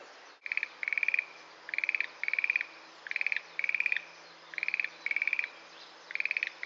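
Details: Schlegel's green tree frog in a sedge thicket at Itsukushima Wetland giving light, castanet-like calls: eight quick rattling bursts of fast clicks arriving in pairs and singles through the clip, with a brief knock near the start.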